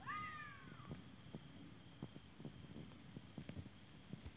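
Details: A fox gives a single arched, falling cry at the start, followed by quiet ticking and rustling against low background noise.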